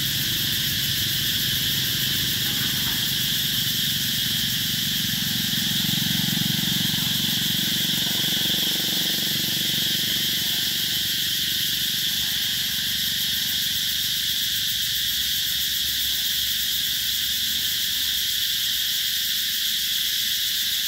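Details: Summer cicada chorus recorded in 2021 at Mỹ Luông eco-tourism area, Chợ Mới, An Giang province, Vietnam; constant shrill buzzing fills the air throughout, with a faint low rumble underneath partway through.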